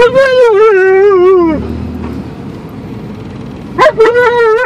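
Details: Alaskan Malamute on a car drive to the dog park lets out a sustained, wobbling howl that sags lower near its end, falls silent, then starts another rising-then-level howl, all over engine and road noise.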